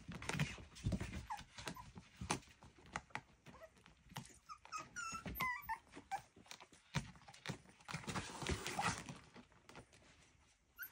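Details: Playing miniature schnauzer puppies in a small room make a mid-clip run of short, rising squeaks and whines, set among steady scuffling, knocks and rustle from their romping.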